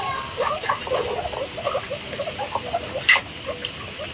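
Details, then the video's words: Chattering guinea pigs: brief low squeaky chirps tumble out rapidly and unevenly, a few sharper peeps standing out, all set against a constant high watery hiss. "Guinea Pigs Sound"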